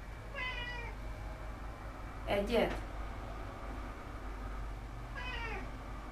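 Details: Domestic cat indoors, meowing twice, each a short harmonic meow sliding downward, with a loud clatter between them and a steady electrical hum underneath.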